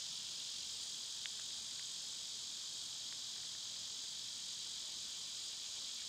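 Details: Cicadas singing in summer, a loud steady high-pitched hiss that runs unbroken through the whole stretch, with a few faint short chirps rising above it.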